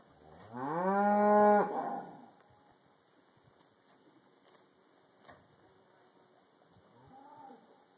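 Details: Black Angus cow during trailer loading at a leased farm property, giving one loud moo that rises in pitch then holds steady for about a second, with a faint, lower second low near the end amid light knocking.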